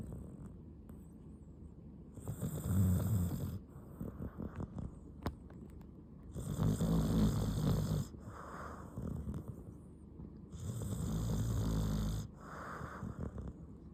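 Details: Haru, a pet dog, snoring while asleep indoors: long, rough, rasping breaths with a hissing edge swell and fade, one every four to five seconds, with quieter gaps between them.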